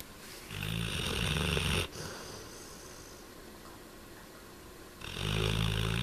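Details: Sleeping black Labrador named Maru snores loudly, a deep buzzing rattle lasting over a second, then a long quiet pause before the next harsh, throaty inhalation begins near the end.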